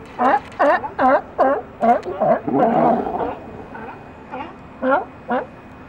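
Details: California sea lions hauled out in a pile, giving loud, hoarse, harmonic barks in quick bursts of three to five, about two or three per second, then a pause and a few scattered single barks.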